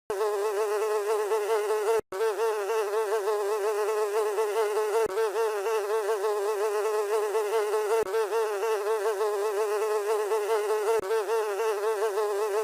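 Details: House fly buzzing: a continuous, steady nasal drone with rich overtones and a slight wavering pitch, broken by brief gaps every few seconds.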